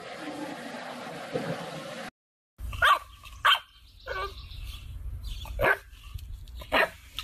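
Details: Siberian Husky puppies: after a brief break, short sharp yips and barks burst out in quick clusters, each a bright harmonic stack, with a low rumbling background throughout.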